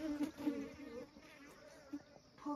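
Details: Honey bee buzzing in rural village Nepal: a steady low hum with faint wavering overtones, swelling briefly near the start and end, with quiet background hiss.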